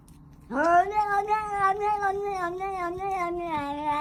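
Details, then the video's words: Pet cat vocalizing while eating, giving a long, continuous, wavering yowl that rises sharply at the start then wobbles up and down for over three seconds, with faint clicking and chewing-like noises underneath. "cat making funny noise when eating"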